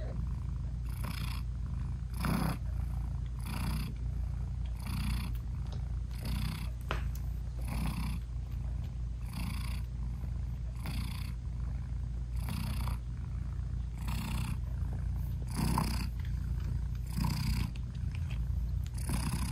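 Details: British Shorthair mother cat hugging and nursing her tiny newborn kittens, eyes still closed, while purring steadily; a constant low vibration with quick breathy pulses repeating under a second apart throughout nearly twenty seconds.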